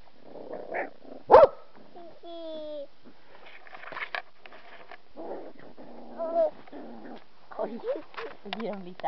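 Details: Puppies playing roughly outside, a bit angry with each other, trade barks, growls and whiny yelps, with a sharp bark early and a high squeal following.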